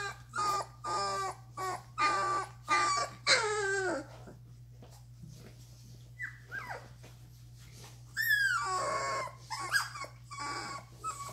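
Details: Doberman puppies, two and a half weeks old, whining indoors: bursts of high, harmonic whines that bend downward, in quick clusters, then a pause and a few rising-falling squeals, over a steady low hum.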